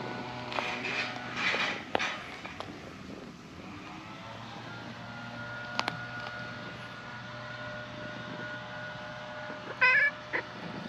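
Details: Tortoiseshell cat in a park looked after by stray-cat volunteers, shyly climbing onto a lap to be petted; a few short meows early on and one brief meow near the end over a steady outdoor hum.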